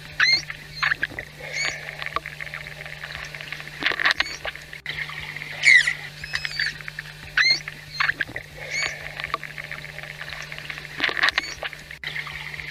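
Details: Manatee chirps, communication sounds between these social animals: short, squeaky, harmonic squeals that bend up and down, given in scattered bursts.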